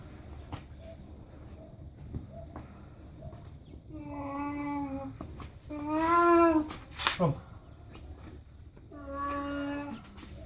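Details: Dog named Charlie, recorded June 2015, giving three drawn-out, wavering, harmonic whine-like calls, the middle one loudest and rising then falling, with quiet room noise and a few soft knocks between them.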